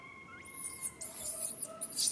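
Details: Baby monkey Rain calls out to its mother Rany for help, which she cannot give: piercing, high squeals with arching, bending contours, loudest toward the end, over a steady faint tonal hum.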